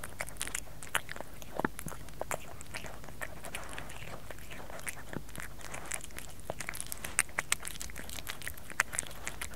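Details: Kerry, a pet cat, eating in close-up ASMR style: dense bursts of sharp crunches and wet chewing clicks, irregular and rapid across the whole stretch, over a steady low hum.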